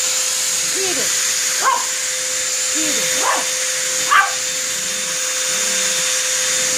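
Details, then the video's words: Dog barking at a running vacuum cleaner: short sharp barks and yelps at irregular intervals, some rising, over the constant high whine and steady hum of the machine. "Dog versus vacuum cleaner"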